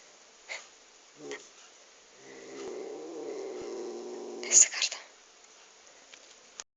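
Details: Angry domestic cat, recorded on an Android phone: a low, droning growl with stacked harmonics swells for about two seconds, then breaks into a short, harsh, breathy hiss-like burst, with a few faint clicks and taps before and after.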